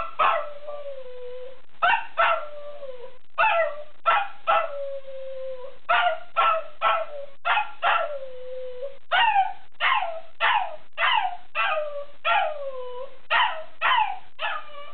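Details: Jake the dog singing his favourite song in a quick series of short, yowling barks, each sliding downward in pitch and roughly a dozen in all, repeated at an uneven rhythm of about one or two per second.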